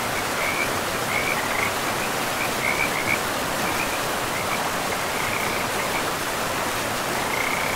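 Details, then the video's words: Frogs beside a forest river, calling in scattered bursts of brief high chirps with gaps between them, half-buried under the constant hiss and rush of running water. "River and Frogs sleep sounds"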